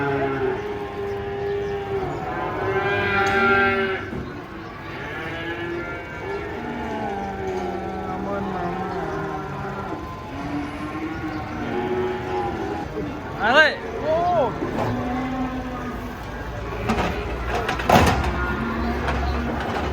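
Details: Huge cow being unloaded by jumping off a truck. It gives long, steady, low moos, several in a row, over a background of chattering people and brief sharp noises.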